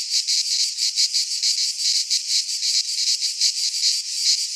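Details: Midsummer cicada chorus recorded in a pine forest in Greece, an unbroken piercing buzz throbbing in quick regular pulses, nearly three each second, with nothing else heard.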